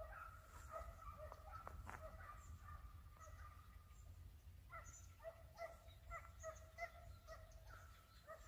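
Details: During a hare hunt, hounds give tonal, ringing barks at a distance, scattered at first and then in quick runs of yelps in the second half, over steady low wind noise.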